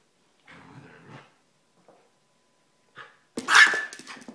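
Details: An Airedale Terrier puppy plays with a Silky (Yorkshire) Terrier indoors; soft low rumbling growls open the clip, then after a pause a sharp, loud high bark bursts out near the end.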